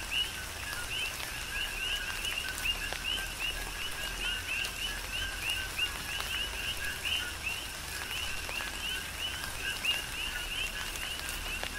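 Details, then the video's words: Tropical rain on the Big Island of Hawaii with coqui frogs calling together; short upswept whistles repeat densely from several frogs over constant rain noise and occasional drip taps. "Tropical Rain & Coqui"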